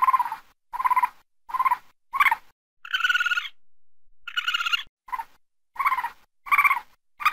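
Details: Raccoon at night gives clipped, nasal barks in a quick series. Two drawn-out, quavering higher cries break into the middle before the short barks resume. No other animals or background noise.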